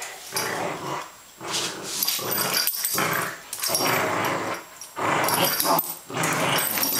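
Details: Female Welsh Springer Spaniel growling during play with another dog, wet weather, 3 July 2012; about five loud, raspy, throaty bursts of a second or so each, separated by short pauses.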